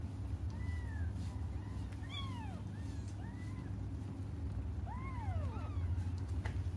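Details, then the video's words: Cats waiting for their mother and crying: a spaced series of clear, drawn-out meows that rise and then fall, some overlapping in pairs, with a low steady hum behind them. "until their mom comes just stop crying"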